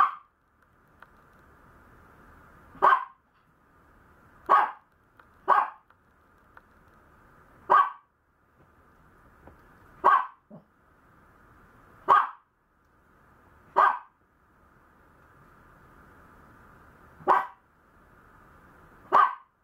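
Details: Maltese puppy giving about nine short, sharp barks spaced irregularly every one to three seconds, each abrupt and loud, over a steady low background hum.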